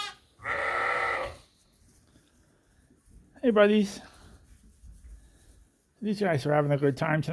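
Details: Suffolk lambs at Ewetopia Farms, mixed into one big group in the barn after a gate was left open and racing around the extra space. Three separate bleats: a steady nasal one, a short wavering rising cry, then a longer quavering bleat.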